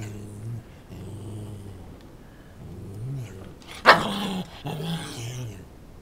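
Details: A male Lhasa Apso, angry at an ordinary chair for reasons the owner can't explain, growls low and steadily, breaking once into a single sharp bark.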